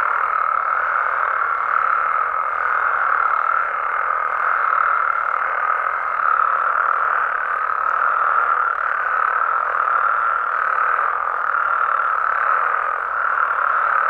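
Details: Nighttime amphibian chorus from Mexico, frogs and toads in the wild, heard as a continuous throbbing mass of croaks from many callers, with faint pulsing swells and a thin steady tone through the first half.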